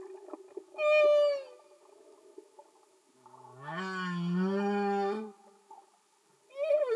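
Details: Singing humpback whale recorded underwater: a short bright whistle-like cry, then a long low groaning moan with strong harmonics and a faint pulsing at its base, then another rising cry at the end.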